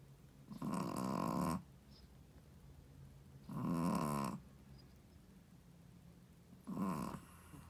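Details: A Shih Tzu mother snores in her sleep: three harsh, buzzing snores of about one second each, spaced around three seconds apart, with soft breathing in the gaps indoors.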